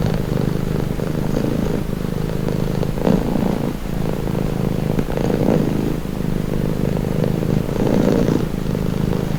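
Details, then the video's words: Domestic cat purring steadily, presented as calming and relaxing; low continuous rumble with slow swells in loudness, fuller phases recurring about every two seconds, no other sounds. "Purring cat | Calming Relaxing Nature Sound"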